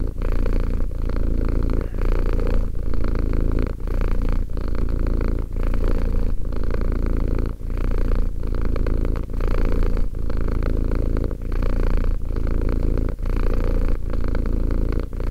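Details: Deep, rhythmic purr from a two-year-old cat, continuous low vibration interrupted by short breath pauses about every one and a half seconds, no other sounds.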